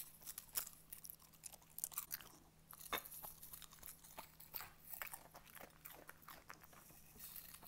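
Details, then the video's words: Schnauzer named Cooper crunching cornflakes in a small room: loud, crisp bites and snapping crunches come in uneven rapid clusters, several per second, over a faint constant electrical hum. "Cooper the Schnauzer Eats Cornflakes (ASMR) *Crunchy*"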